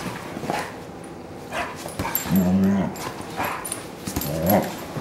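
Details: Kingsley, a 4-year-old purebred German Shorthaired Pointer in the care of HART All Breed Dog rescue, gives a deep, resonant bark midway through, with scattered softer vocal sounds and a shorter second bark near the end.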